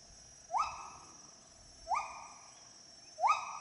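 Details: Gibbon song heard as three separate rising whooping notes, each sliding up and then holding, spaced more than a second apart in quiet surroundings.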